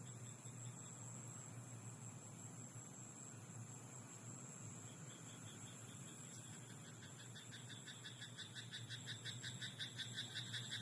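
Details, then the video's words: Night-time frog in a rice paddy: a fast, regular train of rattling croak pulses runs through the second half, set against a constant high-pitched insect drone and a deep background rumble. "田んぼのカエル "Croaking frog in rice paddy at night""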